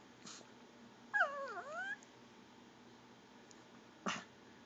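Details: Begging for goldfish crackers, a Pomeranian makes one wobbling gurgled whine that swoops down and back up in pitch, framed by faint clicks and a short noisy thump.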